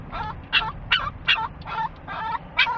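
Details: Excited dog on the way to Sarah Park Dog Park in Lake Havasu City, giving a rapid series of about seven high, squeaky yelps and whines within three seconds.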